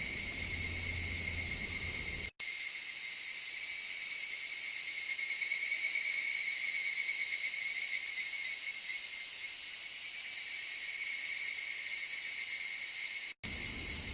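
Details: Cicada song as a continuous, high, sizzling hum that barely changes in pitch or loudness; faint low traffic noise appears only in the opening and closing seconds, while the long middle section is cleaned to the bare buzz.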